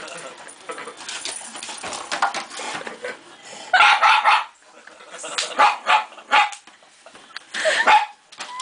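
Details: Shiba Inu dog reacting to a plastic bear head, first quiet with an owner talking softly, then several loud, harsh barks in clusters during the second half.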